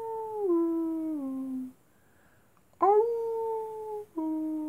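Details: Howling wolves at night, heard as a drawn-out tone that steps down in pitch in two stages, a short quiet gap, then a fresh howl that leaps up and holds level before dropping lower.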